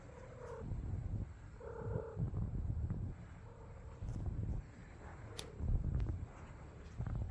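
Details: Stray tortoiseshell cat living on the street with other cats, purring in low rumbling bursts that swell and fade roughly every second or two, with a few short higher tonal notes early on and a faint steady high hiss throughout.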